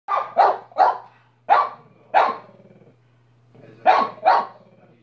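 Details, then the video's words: A pet dog barking: sharp, broad barks in quick pairs and triplets, seven in all, with short pauses between bursts and a faint steady low hum underneath. "barking for 5 minutes"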